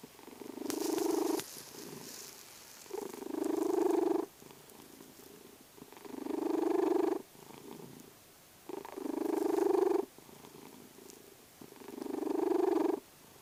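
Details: Vasya the domestic cat, asleep, snores with a purring rattle: five rhythmic rumbling breaths about every two and a half seconds, with faint clicks and small room noises between.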